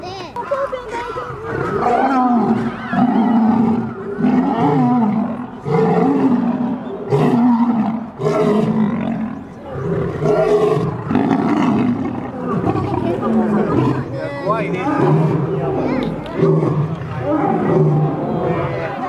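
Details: Lions fighting, with repeated rough growling roars and snarls in bursts of a second or two, rising and falling, over a steady low rumble with background music.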